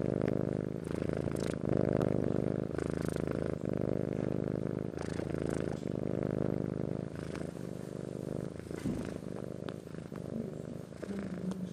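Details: Domestic cat of Persian and Siamese parentage purring, a continuous low buzzing rumble that swells and eases with each breath, with small handling noises and a short squeak near the end.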